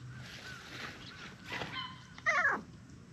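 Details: Short-tailed orange tabby cat, wagging its stubby tail and seeking affection, lets out one loud, brief meow that bends up and then falls away near the end, after softer, fainter mews; steady outdoor hiss behind.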